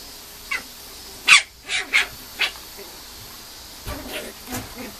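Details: Female Mame Shiba puppy giving a series of short, high-pitched yelps and squeaks, irregularly spaced and varying in loudness, with softer whimpers near the end in a quiet room.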